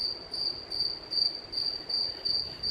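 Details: Crickets living in the ceiling of a cruise ship's promenade deck, arriving at Kotor before daylight, chirp steadily, a high pure trill pulsing in short bursts about three times a second.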